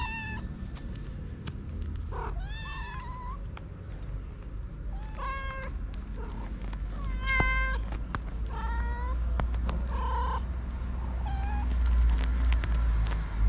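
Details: Several feral street kittens and their mother cat, hungry and waiting to be fed, give repeated high meows with clear stacked harmonics, overlapping in quick succession over a steady low outdoor rumble.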